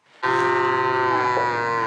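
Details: A cow on a farm in Söğütlü village, Ayvacık, Çanakkale, Turkey, near the chicken coop, gives one long, steady, low moo of over a second and a half, sagging slightly in pitch at the end.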